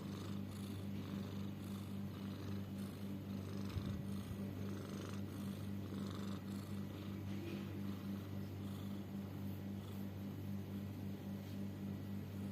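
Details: Domestic cat either snoring or wheezing, perhaps having trouble breathing: a low, steady rasping breath rhythm, roughly two pulses per second, continuous and soft throughout, with faint background hiss.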